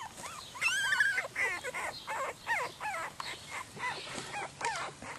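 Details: Croatian Sheepdog puppies crying, a burst of high, wavering squeals early followed by repeated curved whines, roughly three per second, from a group of young pups.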